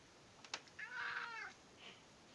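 A British Shorthair cat gives one drawn-out, arching meow, demanding its breakfast.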